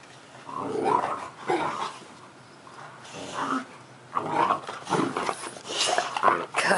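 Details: Indoor puppy at play beneath a pool table, making several short growling and grumbling bursts spaced a second or so apart, mixed with a person's voice nearby.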